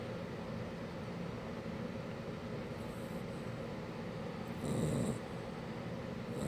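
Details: Shar Pei puppy named Mushu snoring: a steady low rumbling snore held throughout, with a brief louder rough swell near the end.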